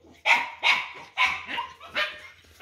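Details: Dog with a big belly, brought home, barks sharply and loudly in even bursts about every third of a second, each bark crisp with a fast attack, over a low steady hum.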